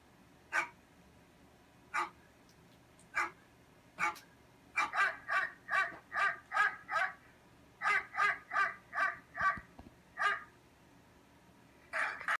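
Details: Next-door dog, barking as Cotton the cat listens, starts with single barks spaced about a second apart, then speeds into a rapid run of about a dozen steady barks before pausing and barking again.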